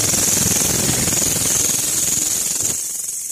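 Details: A grasshopper, a kind known for its loud voice and often heard at night, gives a loud, shrill, steady buzz that fades slightly near the end.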